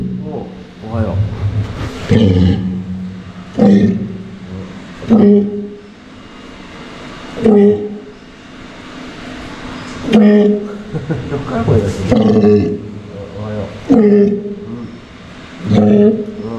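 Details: A walrus resting at an aquarium, where walruses were filmed sleeping, gives low, droning humming sounds and voiced grunts, repeating every couple of seconds.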